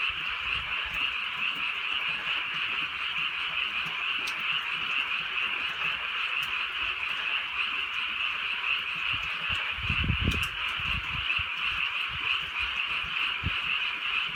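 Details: Frogs calling together on a drizzly rural night: a dense, steady trilling chorus that never breaks, with low thumps and soft patter underneath.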